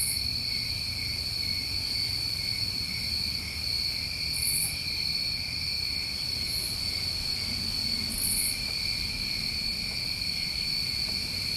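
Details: Unbroken shrill trilling from many crickets on a New England summer night, with several brief very high hissing bursts scattered through and a low background murmur.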